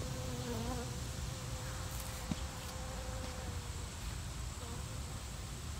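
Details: Cicada killer wasp, a huge wasp about 2 inches long, buzzing around in flight: a brief droning hum with stacked harmonics early on, thinning to a faint steady tone that fades out over a low rumbling background.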